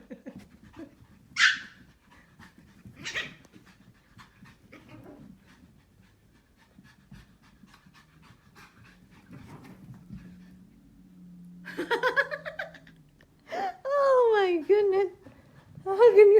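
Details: Pomeranian puppies with buzzed heads, running and playing, give sharp yips, then high, squeaky barks that slide up and down in pitch.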